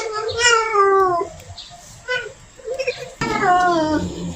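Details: Female cat in heat calling the male: a long falling meow, then softer short mews and murmurs, ending in another sustained wavering yowl, in a quiet room.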